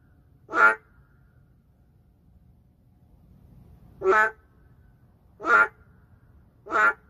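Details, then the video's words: Endangered narrow-mouthed frog calling in the middle of a city: four short, nasal, quacking notes with a rich harmonic stack, spaced irregularly between one and three seconds apart over a low background hum. "맹꽁이 울음소리 (Narrow-mouth frog crying sound)"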